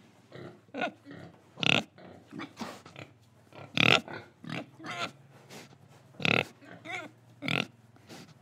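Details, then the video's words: Pig recorded in Indonesia, breathing and eating: a dense run of quick, rough grunts and snorts, some louder nasal bursts standing out among softer chewing-like clicks and huffs. "Pig Sound Effects Oink Oink, Breathing & Eating"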